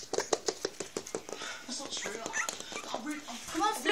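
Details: Newborn British Bulldog puppies from a litter of six, indoors: soft squeaky whimpers and snuffling pulses, quick and irregular, with a person speaking and coaxing nearby.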